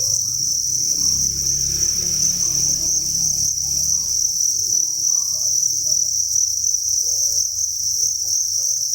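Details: Steady shrill chirping from thousands of crickets at a real cricket farm, a seamless high trill over low rumbling that fades after the first few seconds.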